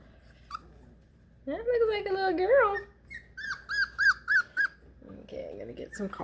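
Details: Four-week-old Beagle puppies away from their mother make a drawn-out wavering howl-like wail, followed by a run of short, evenly spaced high yelps and a lower muffled whine at the close.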